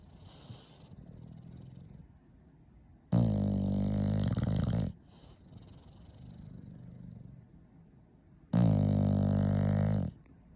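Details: Sleeping English Bulldog giving two loud, throaty, low-pitched snores of roughly two seconds each, with gentle wheezy breathing between them indoors.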